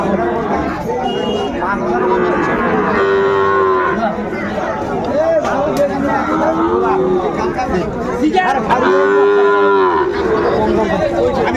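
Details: Sahiwal cattle, bulls and calves, being bought and sold at Ambari market near Dhaka, Bangladesh, 8 May 2024: repeated short, level moos from several animals, one strong rich bellow near the end, amid steady market crowd noise.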